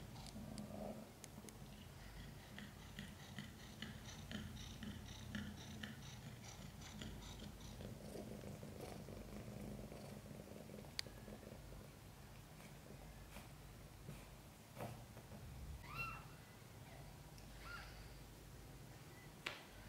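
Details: Mother cat Chan purring while giving birth to five kittens during a difficult labour in which kittens came out backwards; a steady low rumbling purr fills the first half, then fainter, with a few thin high squeaks and soft clicks near the end.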